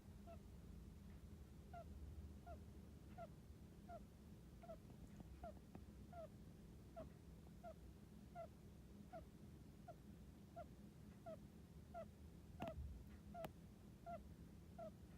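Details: Soft snoring of a sleeping hamster, a long run of brief, faint, squeaky chirps repeating more than once a second in a loose rhythm. A low hum runs underneath, and there is a short knock near the end.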